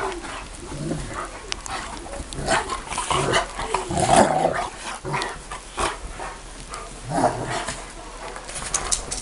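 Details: Bucovina Shepherd Dog barking: rough, broad bursts with two strongest outbursts near the middle and toward the end, with quieter barks and growl-like sounds between them over steady background noise.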